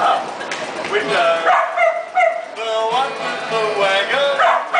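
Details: Street busker's dogs sing to the passing crowd in Central Melbourne, Australia; several drawn-out, sliding howls overlap and waver in pitch, with city background noise throughout.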